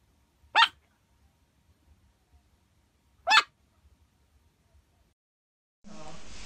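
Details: Puppy giving two short, sharp high yaps about three seconds apart over a quiet background, ending in a burst of broadband noise.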